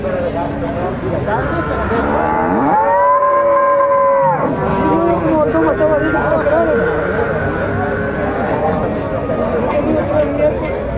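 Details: Several Gyr cows on a farm in El Tiangue, El Salvador, bellowing over one another; a loud, steady, tonal moo lasting about a second and a half stands out early, with continuous lowing from other cows throughout.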